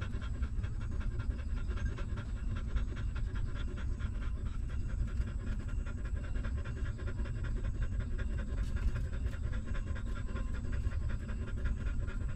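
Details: Hungry newborn puppy of a stray mother dog suckling milk, a fast steady run of soft wet sucking clicks repeating several times a second throughout, laid over a constant low rumble.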